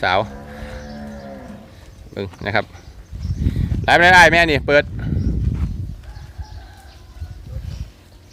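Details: Cattle in a farm sale pen in Roi Et province, Thailand: a drawn-out moo lasting about a second and a half, its tone sliding downward, followed by a man's voice, brief shouting and rustling handling noise.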